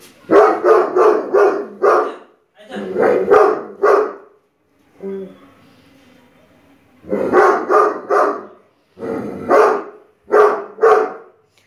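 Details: A 9-month-old Great Dane, scared of a Buddha statue, gives deep, hoarse barks in quick bursts of four or five out of fear of the unfamiliar object.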